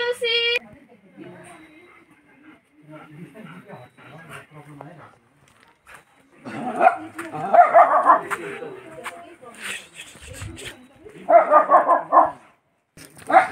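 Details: Dog, one of a mixed group including German shepherd, labro-german, Indian black spitz and local cross breeds, barking in bursts of rapid harsh barks with pauses, mixed with speech and a brief musical tone at the start.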